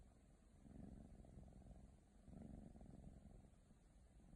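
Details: Low, rumbling purr from a young female Ragdoll cat indoors, two slow breath-linked swells of vibration close to the microphone with no other sounds.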